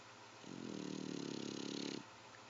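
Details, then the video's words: A pet dog snoring like a human: one drawn-out, rattling, low buzzy snore lasting about one and a half seconds, rising in and fading out, over a quiet indoor hiss. "My daughters dog snoring lol"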